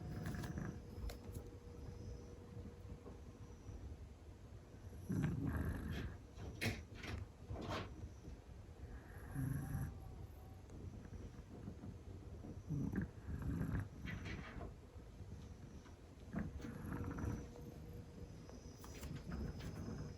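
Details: Sleeping Scottish Fold cat snoring loudly indoors, low rumbling breaths rising in broad bursts every few seconds over a steady low hum, with faint clicks and rustles between breaths.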